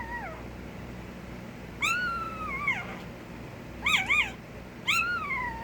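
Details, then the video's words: Puppy with a few high, bending whines, one long and sagging, then a pair of quick yelps and a final falling whine, against a faint steady hum. "A Minute of Puppy Noises"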